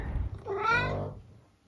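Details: A pet tabby cat at home gives a single harmonic meow rising then falling over about half a second, with a low rumble of room noise before it.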